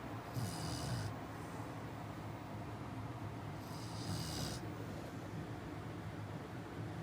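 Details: A Chow Chow puppy snores softly in its sleep at night, with breathy rasping breaths every few seconds.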